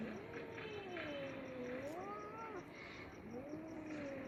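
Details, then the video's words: Angry cats fighting: drawn-out wavering yowls that rise and sink in pitch, several overlapping moaning voices, quiet overall with a faint steady hum behind. "Cats Creepy Fighting Sound Effect|| Angry Cats Growling & Fighting Voices"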